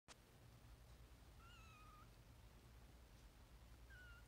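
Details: A 2-week-old Maine Coon kitten (Felis catus), enjoying a belly rub, gives thin, high-pitched mews against a low steady hum.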